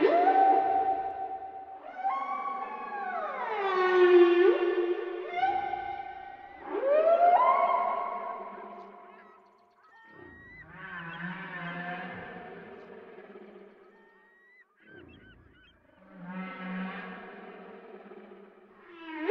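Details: Whale song of long, tonal, harmonic moans that slide downward and sweep upward in drawn-out phrases, rising and fading in loudness, with a few short whoops and lower grunting tones between, in a quiet, echo-like setting.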